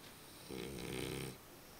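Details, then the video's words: Römer, a dog, snoring while asleep: one low, rumbling, buzzy breath lasting under a second, set against a quiet indoor hiss. "Römer schnarchend"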